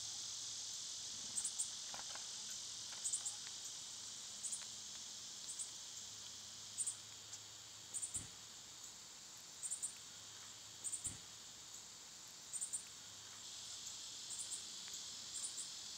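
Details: Cicadas singing in summer in a continuous, loud, high-pitched buzzing drone that never pauses. Brief sharp clicks and taps break through every second or two.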